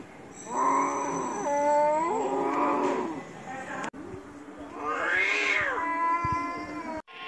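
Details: Two stray cats fighting, one giving a long, wavering, harmonic yowl that bends and rises over about three seconds, then, after a brief break, a second drawn-out moaning yowl that swells and falls, with a faint high tone behind.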